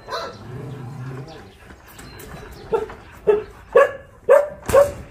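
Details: Dogs at the Ulsan Narae-ul Center, formerly Mindeulle Shelter, an animal shelter in Korea, during a volunteer visit; a low murmur of voices gives way to five sharp, mid-pitched barks about half a second apart.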